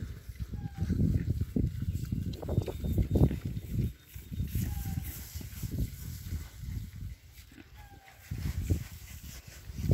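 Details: Berkshire pigs in their new paddock, outdoors: low, rough grunts and snuffles come in irregular bursts throughout, some louder and closer, with a few brief thin chirps above and a steady faint background hiss.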